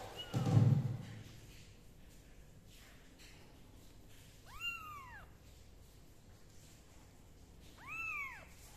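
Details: Kittens being dried with a dry towel and a gentle hair dryer give two clear, arching meows a few seconds apart, each rising then falling, after a soft low thump at the start in a quiet room.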